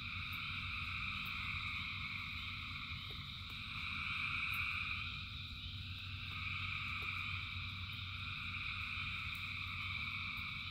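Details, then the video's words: A dense frog chorus in rain, with thousands of frogs singing: steady layered trilling bands that pulse and swell slightly around the middle, over a low rumbling wash of rain and water. "Frogs in Rain 2 Hours of Frogs, Thousands of Frogs Singing"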